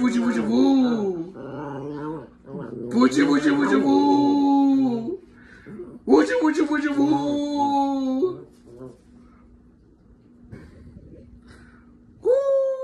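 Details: Several Chihuahua dogs howling together: long, wavering, tonal wails held for two to three seconds at a time, separated by short pauses and a low steady hum, ending with another rising wail.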